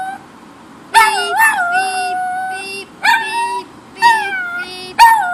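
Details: Pet dog Kipper answers a car alarm with several short, wavering howls and yelping onsets, each wobbling then sliding down, over a background of rapid, regular electronic beeping.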